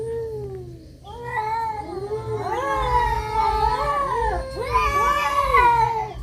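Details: Cats in a fight give overlapping, warbling yowls that swell into a continuous, quavering chorus of rising and falling wails, with low rumbling noise in the background.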